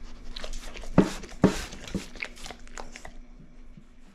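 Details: Pit bull named Ace devouring dried shrimp indoors in a small room, with loud crunching bites near the first and second marks and a softer one shortly after, then quieter wet chewing that fades out.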